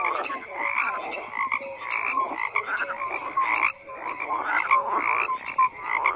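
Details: Croaking frogs calling together: harsh, buzzy croaks rising and falling in waves roughly each second, short whistled notes between them, and a brief lull near the middle.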